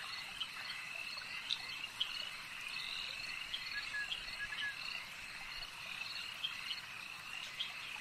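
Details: Frogs calling at a lake in a dense, steady chorus of high trilling and chirping notes, with sharper clicks scattered through it and insect-like buzzing blended into the background.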